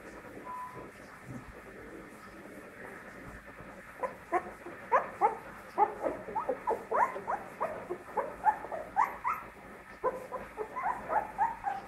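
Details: Pit bull puppy on its first steps, quiet at first, then a rapid run of high whimpering yelps, several per second, each bending up and down in pitch.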